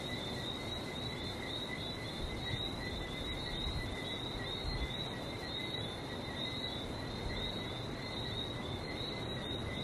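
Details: Frogs in Barbados calling together: overlapping high, rapid chirps merge into an even, ringing chorus with two pitched layers, holding steady over a low, rough background hum.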